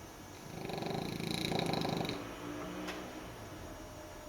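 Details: French bulldog puppy snoring while asleep after hard play, indoors; one long rattling, rasping snore of rapid fine pulses lasting about two seconds, then quieter fading breath and a brief click.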